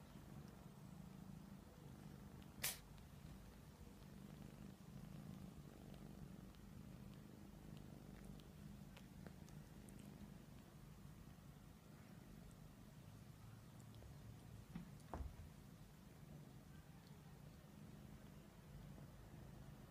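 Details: Persian cats cuddling, giving a steady low rumbling purr that continues evenly through the whole stretch, broken only by a couple of sharp clicks near the start and toward the end.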